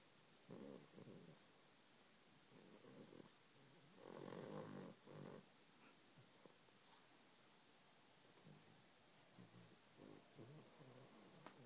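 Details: A sleeping pet dog snores quietly, a series of rough, rattling breaths at irregular intervals, a stronger burst near the middle, then fainter wheezy snores trailing off, indoors with little other sound.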